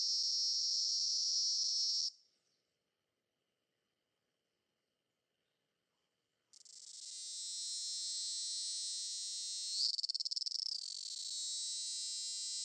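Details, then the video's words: A cicada recorded at 08:18 on 18 September 2016 in Campinas, São Paulo, Brazil, sings a loud, steady, strident high-pitched buzz that breaks off, then starts up again; cicada. "Canto da cigarra (Hemiptera: Cicadidae)"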